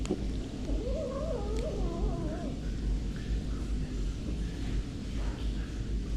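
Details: A stray cat cared for by a street-cat feeding group, about to face a vet visit, lets out a drawn-out wavering meow lasting about a second and a half, rising and falling in pitch, then fading; a steady low rumble runs underneath.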